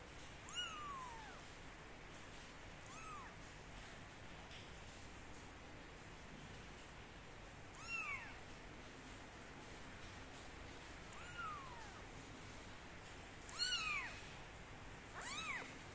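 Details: Kittens being dried with a towel and a gentle hair dryer meow repeatedly: five short, sharp, downward-sliding cries spread across sixteen seconds, over a steady low blowing hum.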